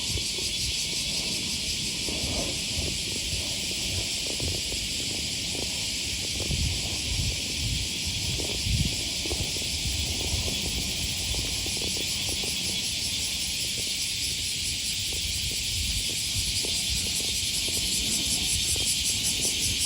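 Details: Cicadas by the Okawa River near Sakuranomiya Park in Osaka, Japan, August 2020 morning: a continuous high buzzing hiss under frequent crunching footsteps and low urban rumble.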